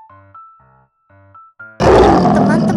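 Spoken words and a musical tone come first, then a tiger lets out a loud, rough roar. The roar is broad and grating, with deep rumbling energy, and holds steady for about a second.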